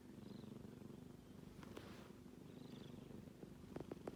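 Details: Snoring from a sleeping kitten: an even, low buzzing rumble with gentle breath swells, then a few sharp small clicks near the end.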